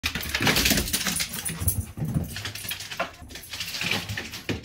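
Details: A Basenji playing with and attacking a stuffed dinosaur toy gives breathy huffs, grunts and soft whines in quick, uneven bursts.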